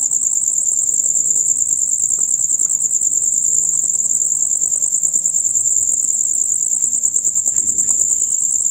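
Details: Male crickets in a loud chorus of the kind heard from dusk until dawn, a dense high-pitched rapid trill pulsing steadily without pause, with faint low rustling underneath.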